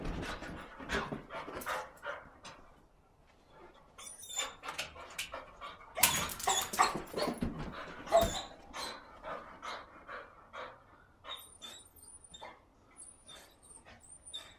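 A Cocker Spaniel pants hard and gives short whines between bursts of scuffling and thumping.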